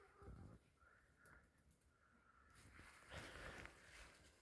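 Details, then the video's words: Lamb just born at dawn in the steppe to a ewe that had shown signs of coming birth. Soft, drawn-out bleats rise over a faint rustling background, ending in louder scuffling. "ولادة خروف جديد وسط البادية"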